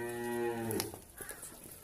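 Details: A Nili-Ravi buffalo in Pakistan, kept for sale, gives a short, low, steady moo that fades out after under a second, followed by faint clatter and shuffling.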